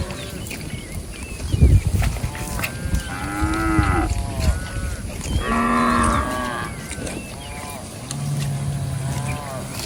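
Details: Herd of cattle roaming and grazing in a rice field; several harmonic moos, some rising then falling, overlap from about three to seven seconds, with a lower drawn-out moo near the end and steady outdoor background noise.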